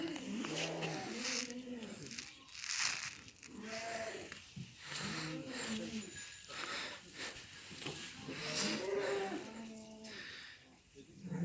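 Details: Lambs bleating in a Turkish village on an evening at feeding time. Several harmonic, wavering bleats come in bursts every two to three seconds, overlapping one another, with people talking and a steady hiss behind them.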